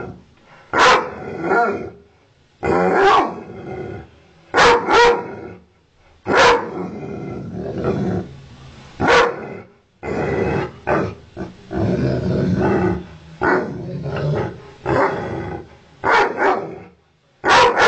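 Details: Angry ovcharka mix barking and growling at its owner, sharp loud barks in quick pairs and triplets with rough sustained growling snarls between, close and indoors-sounding, no other sounds.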